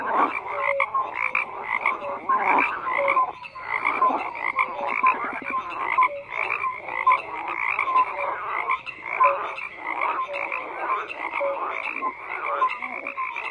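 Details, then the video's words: Many frogs croak together in a steady chorus, rattling pulsed calls mixed with brief clear tonal notes recurring about every second. "FROGS CROAKING"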